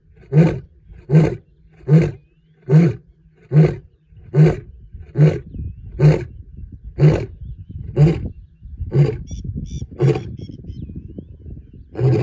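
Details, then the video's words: In the Serengeti, a lion gives a long series of deep, grunting roars, evenly spaced less than a second apart. "Lion roaring at Serengeti. León rugiendo en el Serengeti."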